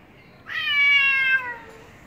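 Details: Aggressive pet cat confronting a stray over its house territory gives a single loud, sustained meow, steady in pitch and then sliding slightly lower as it fades, with quiet room noise behind.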